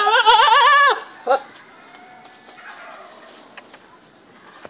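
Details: A single strongly tremulous, wavering goat bleat lasting about a second, followed by a short grunt-like call and then quiet background with occasional clicks.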